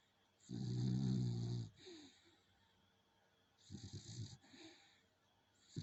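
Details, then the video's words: A sleeping dog named Coco gives one long, deep, rasping snore lasting over a second. After a pause comes a softer, rattling, broken snore, then a faint start of another. "Coco the snoring dog"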